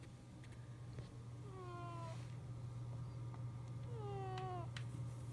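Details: Domestic cat snoring while sleeping comfortably indoors: two drawn-out, whistling tones sliding gently downward, each about a second long, separated by quiet breaths, over a steady low electrical hum.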